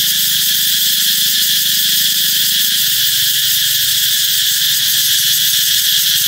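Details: Cicada chorus announcing summer's arrival: an unbroken, intense, sizzling high buzz holding level throughout, with only faint low rumble beneath.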